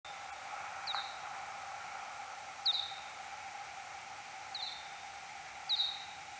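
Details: Kuhl's pipistrelle search-phase echolocation calls recorded 6 July 2022 at 03:59, slowed tenfold: four short, steeply falling sweeps with trailing tails, spaced irregularly about one to two seconds apart over a steady hiss and low humming bands.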